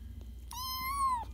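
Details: Cat giving a single clear meow, a sustained tonal cry that rises slightly then falls at the end, lasting about seven-tenths of a second over a low steady hum.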